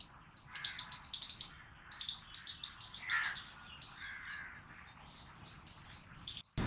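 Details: Chipmunk. Sharp, very high chirps come in quick, rhythmic runs lasting about a second. The chipmunk pauses briefly between runs, and a few softer, lower notes appear in the gaps.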